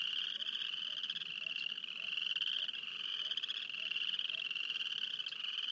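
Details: Frogs calling near Wayne, Alberta, in a field recording: a dense, continuous high trilling chorus holding a steady pitch, with faint lower pulsed notes repeating about every half second beneath it.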